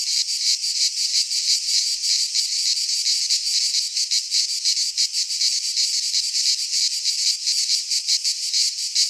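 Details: Cicadas singing in midsummer in a Greek pine forest: a dense, continuous high-pitched buzzing chorus with a rapid pulsing throb, loud and steady throughout with no other sounds.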